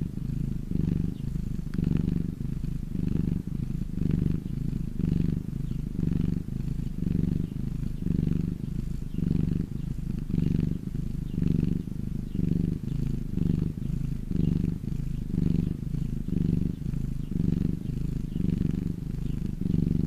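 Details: A domestic cat basking in the sun gives a long, unbroken low purr, its throbbing rumble pulsing with inhale and exhale about once a second, quiet room otherwise.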